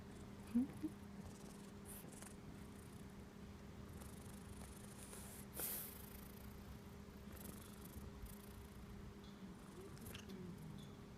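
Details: Friendly, affectionate cat from a local Japanese shrine purring as it rubs up against someone; a continuous low, even purr with a couple of brief clicks and rustles.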